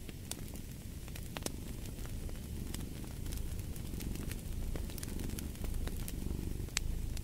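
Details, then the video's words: Soft cat purr as a low murmuring drone beneath a louder crackling fire, the rumble growing slightly stronger midway while pops and snaps keep sounding. "Fall asleep to the Purring of a Cat & Fireplace"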